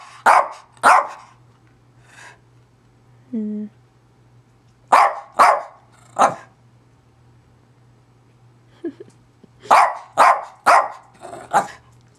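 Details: Zoey, a pet dog, barks in irregular bursts over twelve seconds, pairs and triplets of sharp barks separated by pauses, with a brief low whine and quieter huffs between; a constant low hum in the background.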